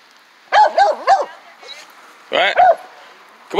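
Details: On his first outing on a dog run, Baxter the Jack Russell Beagle lets out a quick string of three high yips, then a pause and two more barks, with human voices close by.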